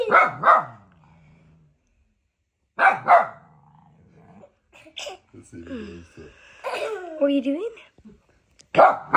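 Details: Humphrey, a young husky puppy filmed two days after arriving in his new home, reacts to a remote control car with short sharp barks near the start and again around three seconds, between stretches of human talk and a baby's voice.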